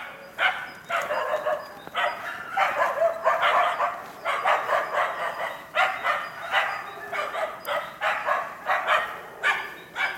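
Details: Karelo-Finnish Laikas, Rus-Fin aged two and Kaya aged eight months, working an enclosed wild boar while training for trials; sharp high barks come in fast irregular bursts, several per second, with brief pauses between volleys.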